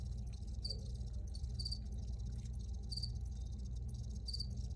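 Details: A cricket recording with brief high chirps, some doubled, coming at uneven intervals of about a second, set against a continuous low-pitched background rumble.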